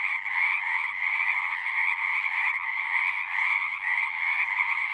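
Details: Pond frogs in a horse pasture, captured on a Zoom 6, calling together in a thick continuous chorus; many voices blend into a constant high trilling drone with slight swells in loudness, nothing else audible.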